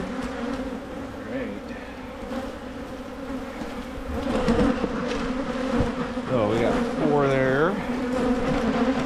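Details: Honey bees at hives being split in Michigan to prevent swarming: a steady low droning hum with a clear lower band and an overtone above, swelling louder midway, with brief sweeping voice-like tones near the end.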